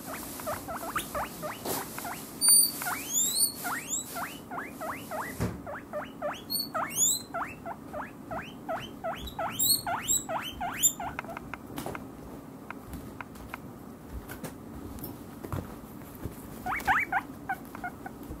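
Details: Two pet guinea pigs, Maro and Momiji, calling indoors for vegetables they expect whenever the fridge opens: loud, alarm-like shrill whistles rising in pitch, fired in rapid runs of several per second, with pauses and faint household clatter.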